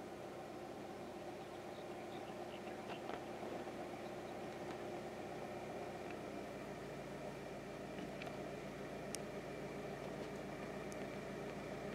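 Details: A steady engine hum and broadband noise, like an idling vehicle, with no clear animal calls. Only a few faint, brief clicks break the constant drone.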